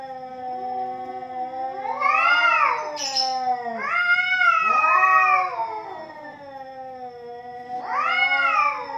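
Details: A pair of cats fighting: a steady low droning growl underlies repeated arching yowls that swell and fade, three loud wavering wails separated by quieter moaning.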